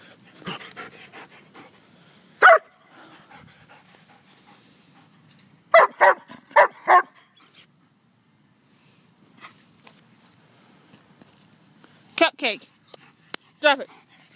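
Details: Pet German Shepherd, told to leave and drop something, giving short broadband barks: one near two and a half seconds, a quick run of four around six seconds, then a few more near twelve to fourteen seconds, with quiet room noise between.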